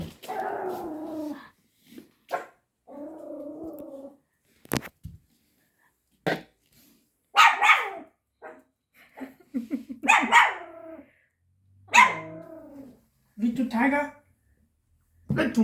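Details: Ponki, a Pomeranian puppy of five months, reacts fearfully to a toy tiger. Throaty growls alternate with sharp, higher yaps, about a dozen bursts spaced one to two seconds apart, some ending in whiny squeaks.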